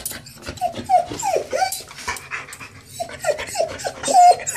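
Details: Playing dogs Rhett and Scarlett, an older dog and the puppy he has been teaching since she joined the household: a run of high, falling whining yelps, several in quick succession, mixed with scuffling and rustling noise indoors.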